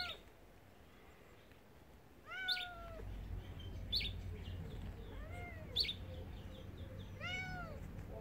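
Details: Mother cat, formerly wild and now spayed, guarding her two kittens near a tiger enclosure at a rescue property: a run of four meows, short arched cries rising then falling, spaced about one to two seconds apart, with soft clicks and low ambient hum.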